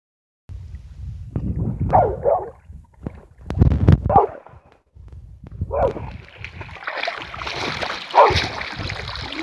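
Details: A puppy vocalizing in short bursts, with whining, yelpy sounds, some low rumbling handling noise between them and a rustling, noisy stretch near the end.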